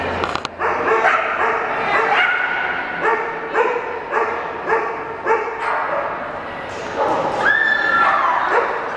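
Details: Zoey, a Cardigan Welsh Corgi, running an AKC Open Jumpers agility course at the PAC trial in Portland in September 2007; sharp, tonal barks repeat about every half second, then a drawn-out falling whine, over a murmur of hall noise.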